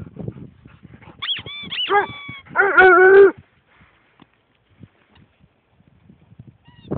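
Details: A Basset Hound howls at a squeaky duck toy, giving one short, wavering, mid-pitched howl just after high rubbery squeaks from the toy, with faint household knocks around it.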